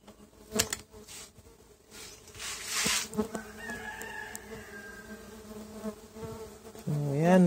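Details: Tetragonula biroi stingless bees at a boxed colony, taken from a feral hive and opened for its first inspection a month after transfer; a steady low hum runs throughout, with bursts of rustling and a louder buzz at the end.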